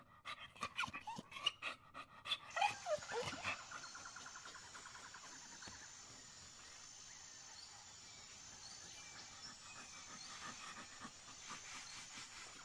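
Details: A dog gives a short run of sharp barks and yips in the first three seconds, then a long quiet stretch follows with steady hiss and a faint high tone.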